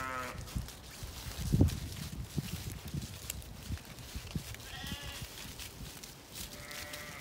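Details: Zwartbles ewes at dusk in a County Kilkenny field, Ireland, trailing the farmer in anticipation of food; fainter quavering bleats at the start and near the end over steady crunching footsteps and handling noise.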